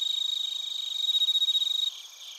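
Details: Bell cricket and field cricket voices from Narita, Chiba, Japan, captured with a TASCAM Portacapture X8: a bright, high trill in fast even pulses swelling in volume, then breaking off into a softer background chorus of chirps.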